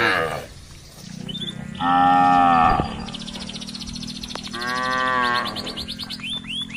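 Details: Beef cattle grazing on residents' green grass give two drawn-out, harmonic-rich moos about a second each, separated by a pause, over a steady low hum, with faint high chirping and ticking in the background.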